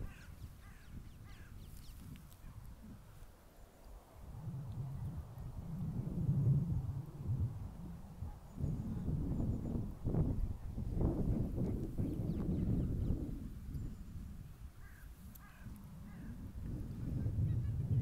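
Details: A Siberian Husky at a park grumbles and howls in low, drawn-out, wavering bursts, a stubborn protest at being led away because it doesn't want to leave.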